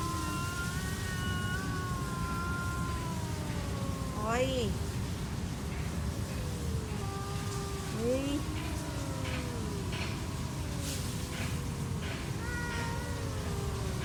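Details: Two stray cats trade drawn-out wailing yowls during a standoff, long harmonic tones sliding slowly up and down and overlapping, with a sharper rising cry around the middle, over a steady low background rumble.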